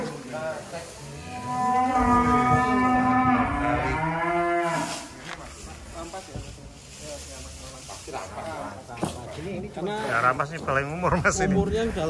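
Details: Angus cattle, a massive bull weighing about 1.3 tonnes, on a farm: one long, deep, drawn-out moo of about four seconds, rich and slightly rising before breaking off, then people talking over background music.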